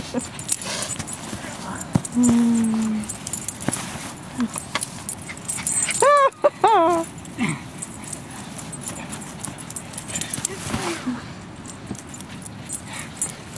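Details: Buttons, a 16-month-old dog playing with his 15-year-old boy, gives a drawn-out whine and then a wavering, rising-and-falling yelping bark midway, with a person's voice and noisy background.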